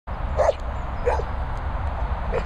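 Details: Patch, a collie cross staying at boarding and training kennels in the Worcestershire countryside, gives three short, mid-pitched barks spaced unevenly across a couple of seconds over a steady low rumble of background noise.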